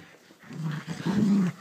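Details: Shih Tzu dog growling while playing with his toy sheep indoors; a short low rumbling growl that swells and rises slightly toward the end, with faint room noise.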